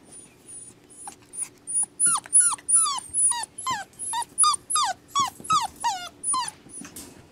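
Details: Several rescue puppies give steady, repeated high whimpers and whines, each short and falling in pitch, about three per second with some overlap between callers.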